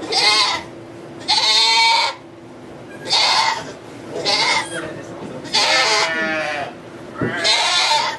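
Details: Goat giving birth to two kids in a sugar shack in Quebec, Canada, filmed on an iPod Touch 4G: six strong, trembling bleats at irregular intervals, separated by quieter gaps holding a faint hum and low background noise.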